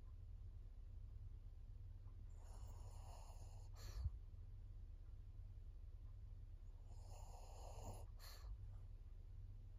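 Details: Maria, a fourteen-year-old fawn female pug in Japan, recorded September 2024. Two quieter, breathy snoring inhalations about five seconds apart, each ending in a short sharp exhale, over a continuous low hum.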